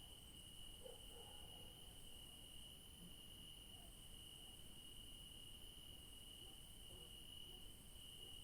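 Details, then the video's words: Crickets in a garden on an evening night produce a sustained, even high trill with a faint higher overtone; a few soft, low murmurs drift in early and near the end. "Night sounds of beautiful crickets in the garden"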